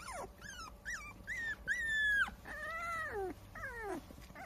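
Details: Standard Poodle puppies 22 days old, filmed on 8 April, give a run of high, squeaky whimpers and squeals. Each note swoops up and then slides down, with a few short yips in between and quiet room background.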